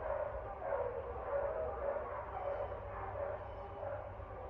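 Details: Dogs barking, recorded 09.30.24: a steady run of muffled, fairly distant barks, roughly one every half second, over a constant low hum.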